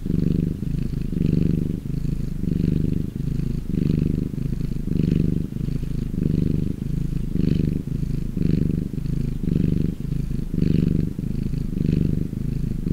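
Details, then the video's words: Deep continuous purr of a relaxed house cat, low rumbling throbs rising and falling with each breath roughly once a second, recorded close with nothing else audible. "Chillest Cat Purrrrrr Everrr"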